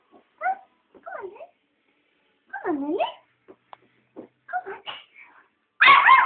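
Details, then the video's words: A young female West Highland White Terrier puppy, scared to climb down and protesting at not being carried, gives short rising and falling whines and yelps, ending in a louder higher yelp, while a person coaxes her. "Westie Puppy Scared to Climb Down"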